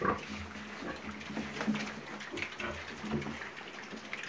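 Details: Piglets kept for sale giving low, hoarse grunts at an uneven pace, with faint squeaks and a constant noisy background hum.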